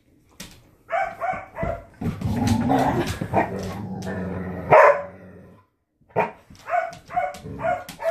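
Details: Storm the Border Collie, unhappy with a new ball, gives a few short barks, then a stretch of scuffling noise masks him before a final louder bark and another quick volley of yaps.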